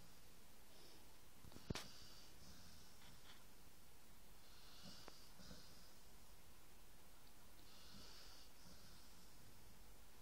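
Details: Sleeping dog's snore, breathy rasping pulses about every three seconds, with a single sharp click early on and a quiet background hum.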